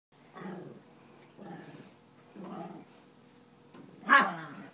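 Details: Two small pet dogs, a chihuahua and a Pekingese, playing just after swimming: three short low rumbling growls about a second apart, then one sharp, louder yappy bark.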